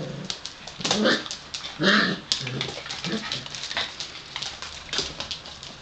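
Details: Gordon Setter puppies, five weeks old, offspring of Niki and Junior, let out a couple of bright, harmonic yelps close together, followed by soft scratching, clicking and rustling as the litter moves around.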